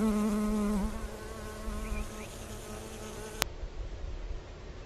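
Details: {'caption': 'Honey bee foraging on flowers. The clip opens with a loud, close buzz that dips slightly in pitch, then continues as a steadier hum for about three seconds before cutting away. Faint ambient noise remains.'}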